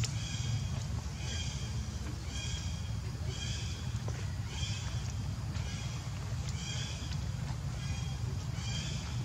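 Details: Baby monkey Leo, hungry, crying to beg its mother for milk: short high-pitched harmonic wails repeated roughly every second, steady and even, over constant low rumbling background noise.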